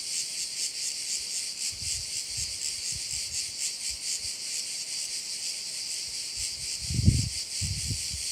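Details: Sounds of crickets at a Korčula bay: a bright, throbbing high buzz runs throughout while soft low thumps and a short knock near the seventh second sit below it.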